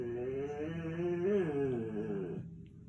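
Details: Indoor whine from Pancho the dog, a continuous groaning, voice-like note that bends up and down in pitch for over two seconds before sliding down and cutting off, set in a room with a quiet background hum.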